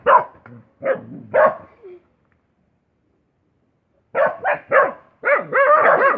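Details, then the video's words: Dog barks three times, falls silent for about two seconds, then gives three more barks followed by a quick run of pitched, arching yips. "Suara Anjing"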